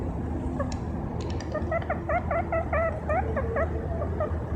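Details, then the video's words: Domestic guinea pig running on grass; a run of short, evenly spaced whistled squeaks with hooked, rising-falling shapes, over steady low background rumble. "Красивая морская свинка бегает кругом и поет или просто свистит"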